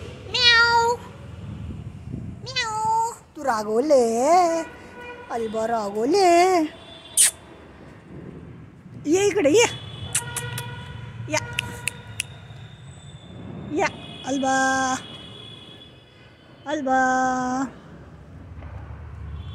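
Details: Two domestic cats frightened by Diwali firecrackers, meowing loudly and repeatedly: drawn-out, wavering cries that bend up and down in pitch, coming in bursts every second or two, with a human voice and low background rumble between them.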